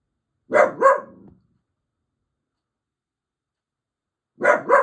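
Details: A grumpy male dachshund gives quick double barks, alerting to noise made by neighbours next door.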